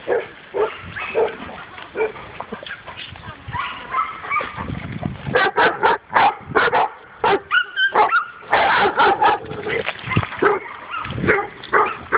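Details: Dog barking on its first meeting with a wild boar; scattered noisy barks build into a dense run of sharp, rapid barks in the second half, with voices mixed in early on.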